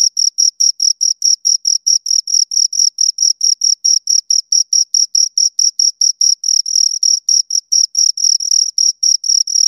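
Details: Pair of crickets stridulating: steady high-pitched chirps in quick succession, each a short bright burst, forming a relentless pulsing rhythm over a silent background with nothing else audible.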